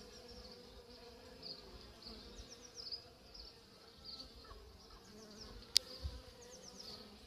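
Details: Honey bee hive at work, a continuous low, layered buzzing drone with a steady hum and higher whirring, broken once by a sharp click.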